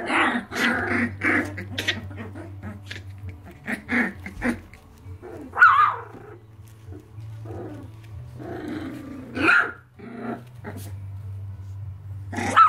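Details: Irish Terriers of the Red Heart litter at 23 days, lively early in the morning: scattered short gruff barks and rough growling bursts with a few high squeaky yelps, over a steady low hum.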